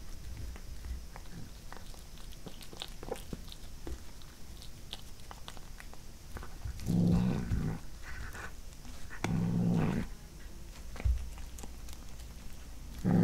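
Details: Indoor pet cat eating corn for the first time while growling. Soft chewing and clicks lead to two low buzzing growls about two seconds apart near the end, then a third starting just as the clip closes.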